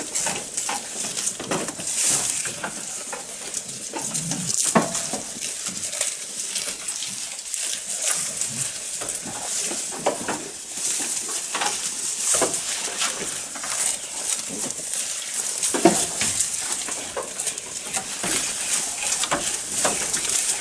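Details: A goat eating at close range, with a long run of scattered dry crunches and clicks, some louder snaps standing out, against continuous hissing noise.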